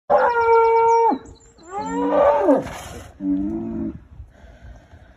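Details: Cattle on a farm where a new Hereford bull meets Holstein Friesian heifers; three loud bellowing moos, the first long and steady, the next wavering and falling, the last shorter and level, with quiet gaps between.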